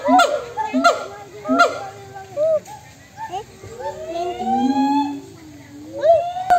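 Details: Calling back and forth between monkeys, heard as a few separate bursts of arched, quavering notes at first, then a long smooth rising-and-falling wail, with quieter gaps between calls.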